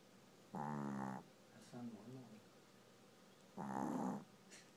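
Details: Sleeping dog snoring indoors: two loud, rough, buzzy snores about three seconds apart, each lasting over half a second, with a softer, shorter rasping breath between them against quiet room hiss.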